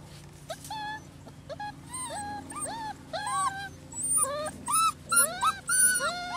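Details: Six-week-old rescue puppies from Holly's litter of six males and four females at Lonely Hearts Animal Rescue, several whimpering at once: overlapping thin, rising and falling whines, some high and squeaky, coming in quick irregular bursts over a low steady hum.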